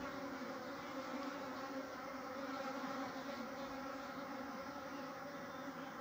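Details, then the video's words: Many honey bees at a natural nest, building comb and storing honey, make an unbroken, even buzzing drone with rich overtones that hold steady for the whole stretch. "Beautiful Natural Honey Bees Nest comb building and storing honey"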